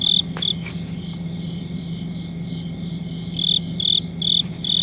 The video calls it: Cricket Chirping